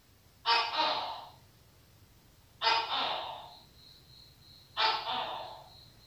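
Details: Three harsh, broadband croaks from a Tokay gecko, evenly spaced about every two seconds, each a loud burst decaying over a second, with a faint high-pitched tone lingering after the second call.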